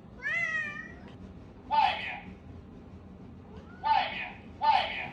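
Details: Stray cats quarrelling outside a courtyard home: an opening drawn-out harmonic meow, then three short harsh, noisy growling bursts spaced about a second apart, with a voice speaking over them.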